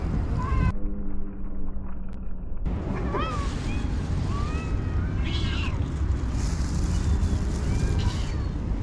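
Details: Cats being fed by a kind person, calling with a series of short, separate meows, some rising and some falling, spread across the clip over a dense low rumble, with a brief quieter gap near the start.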